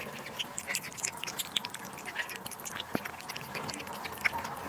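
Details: Domestic cat feeding on duck liver and sterilized egg: soft irregular chewing clicks and moist lip smacks, with a few louder bites near the start and end.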